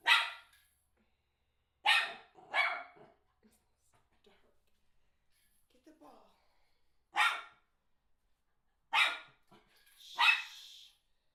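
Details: Male miniature schnauzer, eight months old, going crazy over a particular ball, gives six short, high barks in irregular bursts, some in quick pairs, with quiet gaps and a faint murmur between them.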